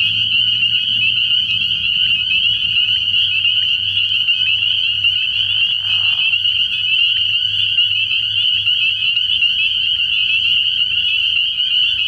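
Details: Night chorus of spring peepers at a frog pond in early spring, many high piercing peeps blending into one continuous shrill trill, with a brief lower rasping note near the middle.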